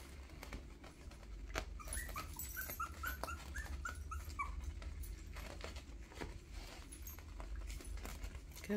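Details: Two-week-old Miniature Schnauzer puppies from a first litter give a quick run of thin, high squeaks while a person talks softly nearby; the puppies are walking toward their mother for milk.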